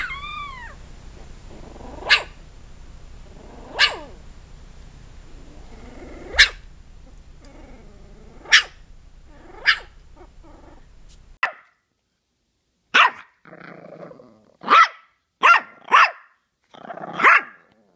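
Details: Puppy giving single sharp yaps a couple of seconds apart over a low hum, opening with a rising whine. Later comes a quicker cluster of short, high yelps and scrappy squeaks.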